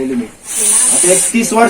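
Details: Russell's viper hissing: a steady, breathy high-pitched hiss held for nearly a second, with a man's speech just before and after it.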